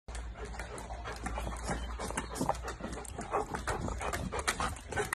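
A Rottweiler makes low, rough, rapidly pulsing sounds, like heavy panting mixed with grunts.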